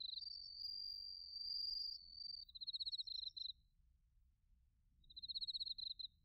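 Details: Autumn crickets, including bell crickets, recorded in Narita, Chiba, Japan, on a TASCAM Portacapture X8: a smooth, high continuous tone for two seconds, then bright pulsed chirp bursts about half a second to a second long, with quiet pauses between.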